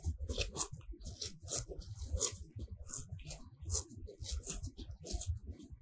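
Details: Happy cows eating fresh grass in a sunlit pasture, heard from very near: quick rhythmic rips of grass pulled off by the tongue, roughly twice a second, over low chewing thumps.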